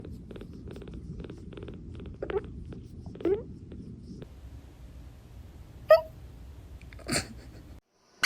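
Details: Pet cat purring low and steady in a quiet room, then breaking off into soft, abrupt hiccups: three sharp, clicking catches spaced about a second apart near the end.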